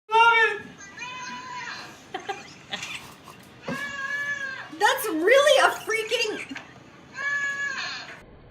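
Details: Goats named Nelle and Bean calling indoors, a series of wavering, nasal bleats rising and falling, with a louder strained cry near the middle and a final drawn-out bleat; a human voice is also heard.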